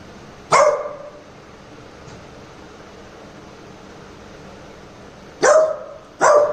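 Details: A Labrador Retriever puppy, during a prank testing whether it will act protectively, barks three times: one sharp bark, a long pause of nearly five seconds, then two quick barks close together.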